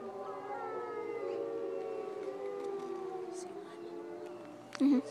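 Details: Wolves howling: several long drawn-out tones overlap, holding steady and slowly falling in pitch, with a brief sharp noise near the end.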